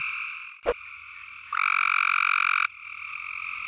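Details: A Cope's gray treefrog gives a loud, fast, buzzy trill at night over a steady breeding chorus of other frogs at a seasonal temporary pool in South Carolina woods.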